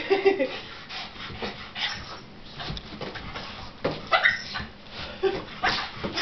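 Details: Indoors, the pet dog Shirley, frustrated at a balloon game she is left out of, lets out brief squeaky whines and yips at the start and again near the end, between scattered tapping knocks and faint speech.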